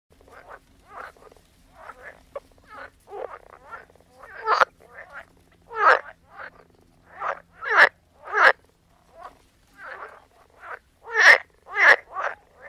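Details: Frogs croaking in a soundscape: short, raspy croaks repeated irregularly, overlapping callers of varying loudness, some notes louder and sharper, with quiet gaps between bursts.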